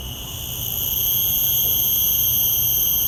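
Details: Common cicada starting up in a field recording through shotgun microphones: a high buzzing whine swells quickly over the first second into a loud, continuous ringing drone.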